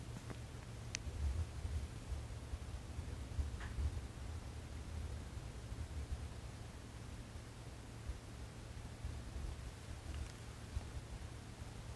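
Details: A quiet indoor room with a steady low hum, soft rustling and a few faint clicks, with no animal voice.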